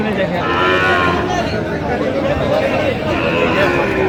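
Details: Sahiwal bull calves at a cattle market in Feni, Bangladesh, on 9 November 2025, where a farmer is buying. Low lowing moos rise out of dense crowd chatter and bargaining voices, with a steady murmur of market noise throughout.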